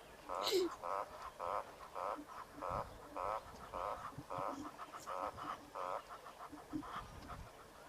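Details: Eastern olive toad calling at a waterhole during a live broadcast on 10 September 2023; nasal, quacking 'wah' notes pulse steadily about twice a second, some fifteen calls over eight seconds, with a faint rustle underneath.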